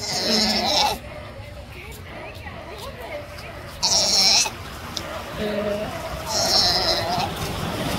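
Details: Newborn sea lion pup being handled roughly by its mother in the Galapagos; loud bleating calls with bright harmonics come at the start, near four seconds and again after six seconds, with quieter grunting and rustling between.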